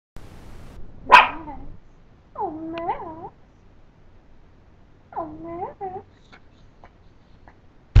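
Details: Max, a pet Pomeranian, begs for the owner's rice indoors: a sharp bark-like yelp, then two wavering, sing-song whining cries rising and falling in pitch, separated by quiet pauses.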